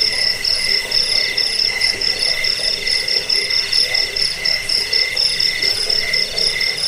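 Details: Crickets (jangkik) offered as a sound to drive away rats, lull to sleep and tutor songbirds; several callers overlap in a dense chorus of rapid pulsed chirps, a high shrill band and a lower band pulsing in rhythmic bursts.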